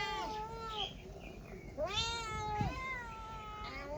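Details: Kittens and cats meowing in quick succession: a long descending meow, then a sharply rising one that bends down, followed by flatter drawn-out mews.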